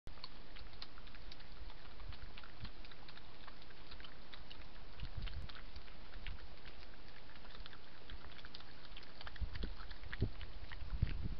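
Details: Two badgers eating peanuts put on the ground beside a hide at night, noisy feeders: steady crunching, munching and snuffling clicks, with soft low thumps and rustles in the background.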